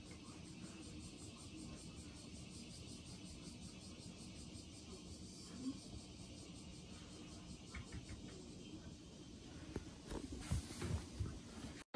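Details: Steady hiss and low hum, with a few faint handling knocks toward the end and no animal voice.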